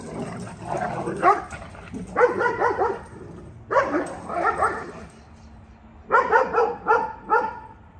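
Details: Belgian Malinois guard dog barking to warn off a visitor; harsh, harmonic barks come in three rapid clusters of three or four, with pauses between, and a person urging "go see" beforehand.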